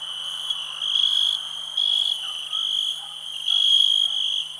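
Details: Shrill ringing cricket song, steady underneath with three stronger swells in under five seconds and a faint low-pitched call between them.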